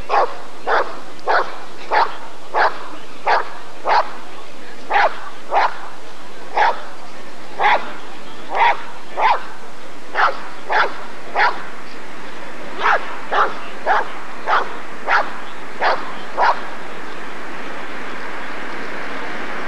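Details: Rottweiler at a 1994 ADRK Körung breed survey, barking repeatedly in quick, slightly irregular bursts, around twenty short gruff barks over seventeen seconds, then falling silent.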